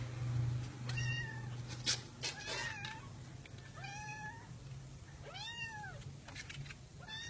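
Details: Cats in a box, pets filmed indoors: a run of clear harmonic meows, rising then falling, about one every second, the last ones longest and loudest, with thumps, rustling and a low hum behind.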